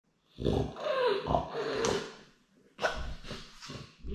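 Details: French bulldog wanting to be with his daddy, giving short grumbling, moaning vocal bursts with a brief whine, then a pause and another low throaty burst indoors.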